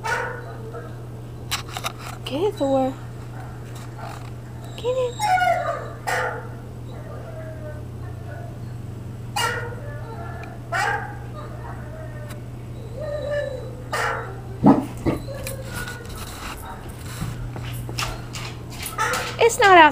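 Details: A Great Dane gives deep barks and rising, whining yelps in reaction to another Great Dane barking in a video, looking outside for it, while a person talks encouragingly over it.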